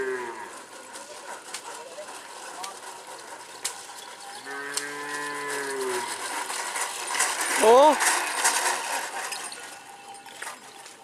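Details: Madura cattle at a karapan sapi bull-racing practice on the Asemanis field in Pamekasan, Madura, East Java, Indonesia; one short low moo with a clear harmonic ring partway through, amid steady crowd and outdoor noise.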